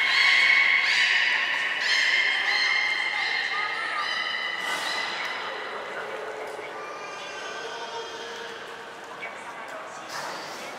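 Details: Training session at Port of Nagoya Public Aquarium, 20 February 2021, with belugas Mirai and Nico: overlapping nasal, harmonic calls that bend up and down, repeated in quick succession, fading over the final seconds.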